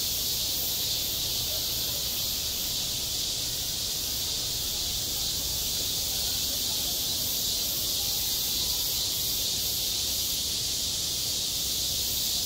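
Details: Cicadas singing on a school playground in midsummer: a dense, unbroken high-pitched hiss-like drone that holds steady throughout, with no pauses and only a faint low rumble beneath.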